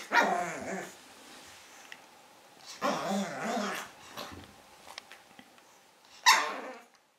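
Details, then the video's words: Pug puppy Carlos, five months old, gives several husky, harmonic barks spaced a few seconds apart, the last one sharp and loud, over a noisy indoor background. "baby pug Carlos barking"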